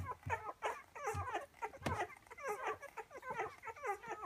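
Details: Ten-day-old Rhodesian Ridgeback puppies eagerly nursing at their mother: a busy overlapping stream of short squeaky whimpers and little grunts, several per second, with soft lower snuffles underneath, indoors.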